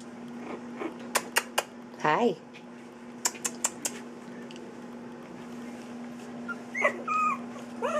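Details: At three weeks old, puppies at play: sharp tapping clicks, a brief wavering whine, more clicks, then a few high squeaky whimpers near the end over a low constant hum.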